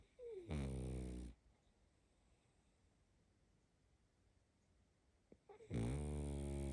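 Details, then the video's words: A sleeping female pug puppy snores twice: a deep, rumbling, buzzy inhalation lasting under a second near the start and another at the end, separated by several seconds of quiet breathing. "Малышка мопс спит😴Храп собаки"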